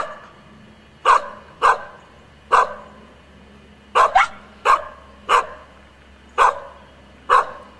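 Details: Barking female Icelandic Sheepdog: crisp repeated barks at uneven intervals, one quick double bark midway, nine barks in total against a quiet indoor background.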